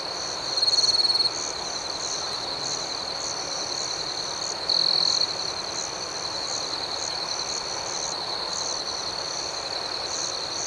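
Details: Night-time cricket chorus, a constant high ringing trill overlaid with evenly pulsed chirps roughly four each second. Two short, louder pure-toned trills rise above the chorus early and midway.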